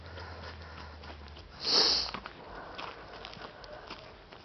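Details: Mpampinos, a German Shepherd, hunting for kittens that ran off across the way when they spotted him; one strong, hissing sniff near the middle, amid quiet breathy snuffles and faint background rumble.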